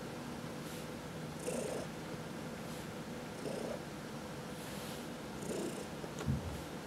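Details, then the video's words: Purring house cat being massaged, one of four indoor cats, among them fourteen-year-old Heidi adopted from the Humane Society of New York City; gentle low purr with breath-timed swells about every two seconds and light rubbing noises. "Four Purring Cats — Cat Massage"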